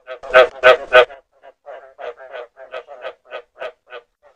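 A frog gives a run of short, nasal croaks, three loud ones followed by softer, quicker repeats.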